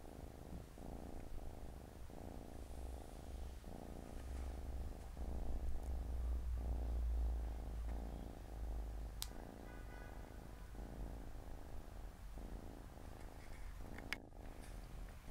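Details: Four Siamese kittens chilling by their mother's side on a Saturday afternoon; a deep, evenly pulsed purr throbs about four times a second, with a low rumble swelling midway and a sharp click late on.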